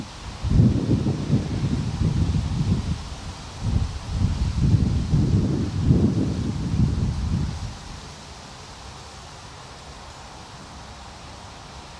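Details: Low rumbling gusts of wind and rustling fill the first seconds, fading to quiet background hiss. No animal voice stands out.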